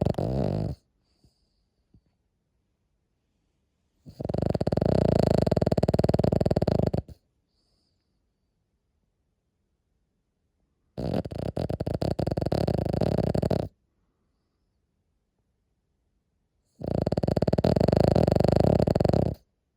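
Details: Sleeping Cavalier King Charles Spaniel snoring quite loudly indoors: harsh, rasping breaths about three seconds long, each followed by several seconds of near silence, repeating steadily.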